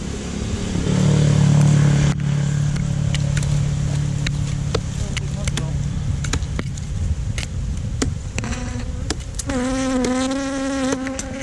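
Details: Honey bees buzzing during a honey harvest from a hive inside a hole in a tree trunk: a steady low drone at first under rumbling handling noise and sharp knocks, then a louder wavering whine near the end.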